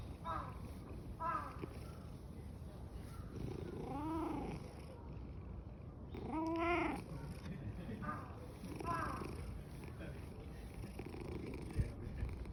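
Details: Black-and-white tuxedo cat in a happy mood at Fushimi Inari, purring loudly. An uneven low rumble runs under arched wavering calls and some talking.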